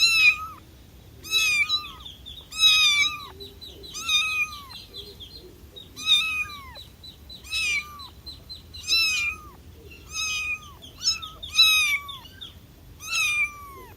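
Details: Young kitten crying out to its mother: repeated shrill meows, around ten over the stretch, each a short rising-then-falling wail with a downturned tail, spaced irregularly between one and two seconds apart.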